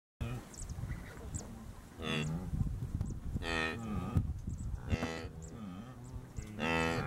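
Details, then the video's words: Wildebeest during the Great Migration in the Serengeti, Tanzania: several nasal, moo-like calls with stacked harmonics, roughly one every one to two seconds, over a low rumbling background. "Great Migration, Serengeti"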